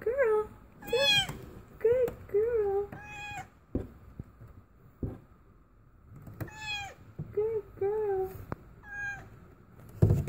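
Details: Female cat giving birth for the first time, indoors: a rapid run of wavering, bending meows, some short and some drawn out, in two bursts separated by a pause, with people softly talking and a steady hum behind.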